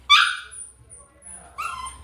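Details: One-month-old puppies: a loud, high-pitched, harmonic yelp that fades over half a second. After a short quiet gap comes a second, softer whining cry. Low background hum throughout.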